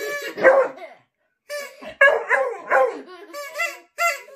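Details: A Beagle in a noise-making contest with a man gives wavering, drawn-out aroo howls in short bursts while the man howls back.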